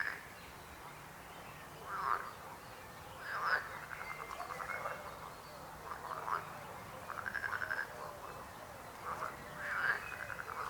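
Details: Chorus of croaking frogs, mostly short rasping pulsed croaks in irregular bursts, a few longer trills, several animals calling over one another.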